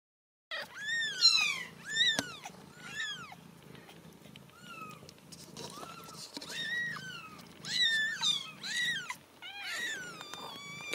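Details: Ragdoll kittens raised indoors without cages at a home cattery in central Kansas call out in a chorus of high, thin mews, each sharply arched or falling, overlapping in bursts with brief quieter gaps between.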